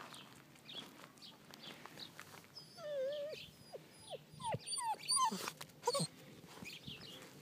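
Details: Bernese Mountain Dog puppy in Colorado giving a run of high, thin whimpers and yips, several short rising-then-falling whines clustered between three and six seconds, with faint rustling and handling noise around them.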